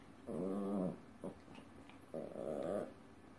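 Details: A pair of dancing Chihuahuas give two drawn-out, wavering growl-whines, each under a second, separated by a brief yelp, in a quiet indoor room.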